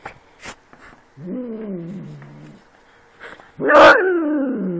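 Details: Domestic cat making dog-like noises, imitating a dog: a drawn-out, wavering harmonic growl-like call of about a second that sags slightly in pitch, a pause, then a louder, rising-then-falling yowling bark; faint steady hum behind.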